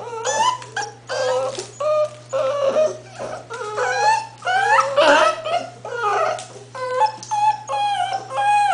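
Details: English Bull Terrier puppies aged eight weeks whimper almost continuously, with rising and falling nasal whines and squeals repeated in quick bursts, several pups overlapping, loud and close, over a faint steady hum.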